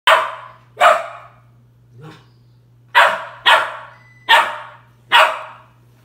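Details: A 3-month-old Australian Shepherd puppy gives a run of sharp, harsh barks at uneven intervals at his reflection.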